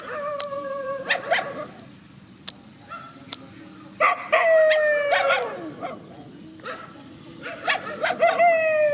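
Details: Dogs squaring off in a countryside field give a few scattered barks, then long wavering howls that slide down in pitch around four and eight seconds, mixed with short yips; faint steady high hiss throughout.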